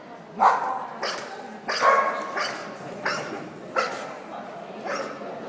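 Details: Dog barking indoors, a series of hoarse mid-pitched barks roughly every second with some reverberation and background murmur.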